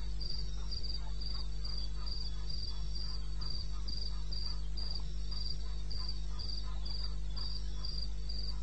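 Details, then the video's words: Wild cricket in eastern Botswana wilderness, recorded 21 May 2016 at 2:30 am. Short high chirps, steady and even, about two to three each second, over a constant low hum. "1 Hour cricket sound-Africa-No loop-Real recording."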